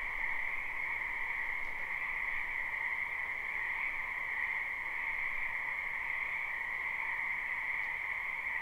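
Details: Live spring recording of numerous wetland frogs: an uninterrupted, evenly pulsing chorus of overlapping high calls layered at two pitches, plus a slight low background rumble and a couple of faint clicks.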